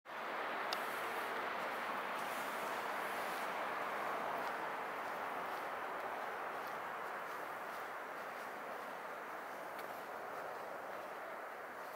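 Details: Constant broad hiss and rushing noise, like distant traffic or a passing train, fills the whole stretch without any animal call.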